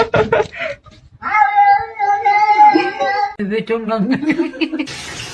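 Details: Cat in a fight: a drawn-out, steady yowl lasting about two seconds, slightly wavering in pitch, followed by shorter lower-pitched vocal sounds and a burst of noise at the end, with voices nearby.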